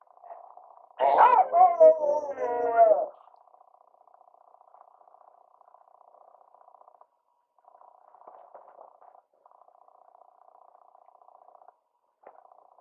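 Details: One of two "singing" beagles from Bremen gives a brief, mournful howl that wavers up and down for about two seconds, followed by a faint steady hum.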